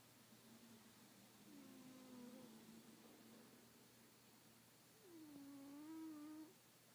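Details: Kitten asleep, snoring with long level tonal breaths, one wavering and flat, the next starting higher, dipping and holding steady before ending, in a quiet room with a low constant hum.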